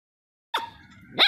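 A dog gives two short, high-pitched yelps, the second louder and sharper than the first.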